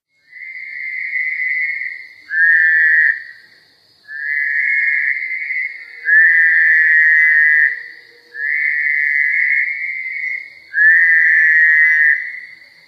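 Fowler's toads give nasal, buzzy bleats, each lasting one to two seconds, repeated at steady intervals.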